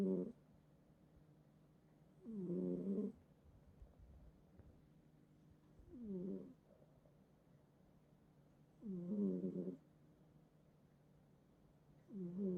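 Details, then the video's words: Cat that snores heavily every night beside its owner in bed, from a multi-cat household; five raspy, rattling snores come at uneven intervals of about three seconds in a quiet room. "고양이 코골이 실화냐? | 코 좀 그만 골도록 해"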